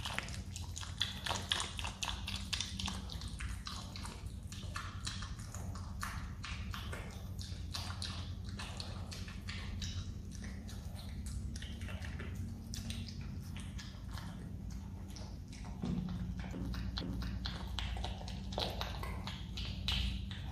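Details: Close, moist smacking and clicking from a pet Himalayan marmot (Marmota himalayana) chewing jelly, the bites coming in quick irregular bursts several times a second. A steady low hum runs underneath throughout.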